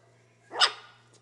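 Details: A single short, sharp high yap from a half beagle, half Welsh corgi puppy, with quiet room hum behind it.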